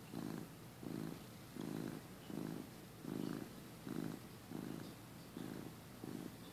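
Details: Napping male pet cat, filmed early 2015, purrs in a quiet room; deep buzzing bursts of about half a second come at a slow even pace, separated by softer inhaling gaps.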